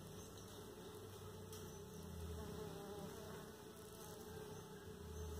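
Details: Stingless bees at a bamboo and PVC pipe trap set on an old metal pipe for bee farming; a faint, steady low droning hum with a constant mid-pitched tone throughout, slightly swelling near the end.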